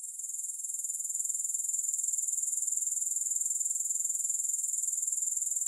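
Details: Soothing grasshopper chorus without music, a thin, high, hissing trill that swells during the first second and then holds steady, with a rapid pulse of roughly two beats per second.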